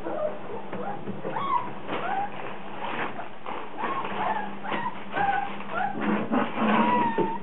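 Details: Rhodesian Ridgeback puppies whining and yipping during a puppy frenzy; thin rising and falling whines and short squeaks from several pups overlap irregularly, with a low steady hum underneath.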